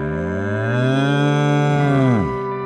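A bull gives one deep, drawn-out moo lasting about two seconds. It holds a steady low pitch, then drops sharply at the end, with a faint musical tone underneath.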